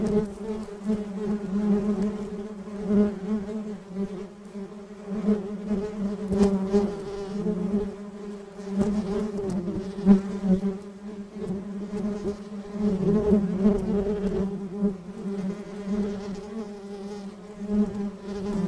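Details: A steady, droning hum of many honey bees of a colony buzzing together, with a low hive-like tone.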